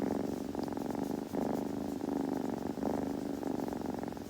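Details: Short burst of a kitten's purring, a rich rumbling drone pulsing in waves roughly every second and a half as it breathes in and out.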